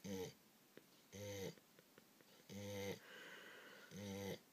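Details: An English Springer Spaniel, female, snores in low, buzzy, rattling bursts about every second and a half after a rough day of eating lots of food and playing with children.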